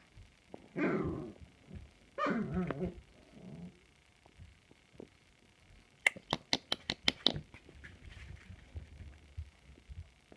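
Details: Samoyed puppies recorded on 16 March 2020; two brief high whining yelps, a softer whimper, then a quick burst of sharp clicking taps and quiet rustling.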